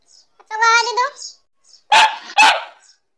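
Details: A black Labrador Retriever named Kittu gives a short tonal, wavering whine, then after a brief pause two loud, harsh barks in quick succession about half a second apart.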